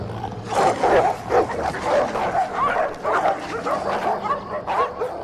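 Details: Stray pitbull and rottweiler fighting over a female, the rottweiler winning dominance; dense harsh growling and snarling bursts with short barking yelps, overlapping and continuous throughout.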